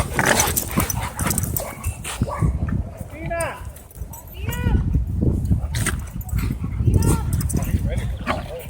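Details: Dogs fighting at a dog park, an angry black dog fending off a pitbull and a German Shepherd: short arched barks and yelps burst out about every second, mixed with a person talking and rough low rumbling throughout.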